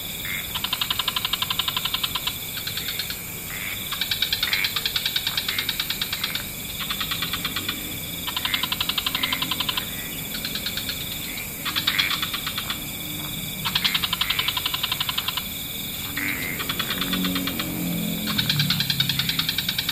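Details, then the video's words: Frog chorus at dusk in wetlands: bursts of fast pulsed, rattling trills, each lasting about one to two seconds with short pauses between, repeating steadily over a constant high hiss and faint low rumble. "Frog Orchestra"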